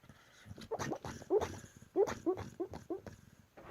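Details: A sleeping, dreaming Husky vocalising indoors: a run of soft, muffled yips and whimpers in short bursts, about one and a half per second, uneven in rhythm and loudness.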